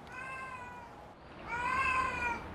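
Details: A female stray cat gives two drawn-out, plaintive meows at a door, the second louder and arching up then down, crying to be let in.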